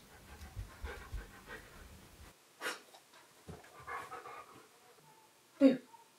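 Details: Keyush the stunt dog, a clever dog searching for his owner hiding in a giant box, pants in soft irregular breathy bursts, with knocking thuds and a short sharp yelp near the end.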